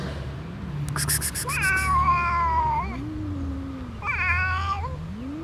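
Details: Two cats, a friendly black cat and a less friendly other cat; a long, slightly falling drawn-out meow, a soft low rising murmur, then a second shorter meow, over quiet background.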